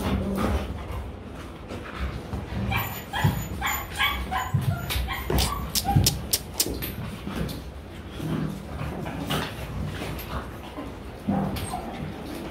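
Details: Young Rottweiler pets in Vietnam tussling and mock-fighting; quick snapping clicks and scuffles cluster mid-way, with brief whimpers and low growls scattered through a noisy background.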